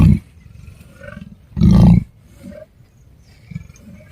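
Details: Leopard caught by forest officials after roaming in Narsingi, Rangareddy, near Hyderabad: two deep, rasping growls, one brief at the start and a louder one lasting about half a second, with fainter low rumbles between them.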